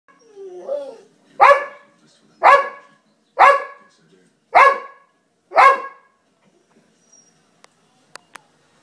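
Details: An Alapaha Blue Blood bulldog, worked up over a moth, opens with a short whine, then gives five deep, loud barks about one second apart in a quiet room. A few faint clicks follow.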